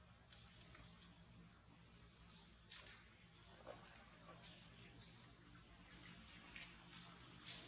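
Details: Baby monkey named Jody, said to need much milk for growing, gives short, thin, very high squeaky chirps, one roughly every one and a half seconds, over a low steady background hum.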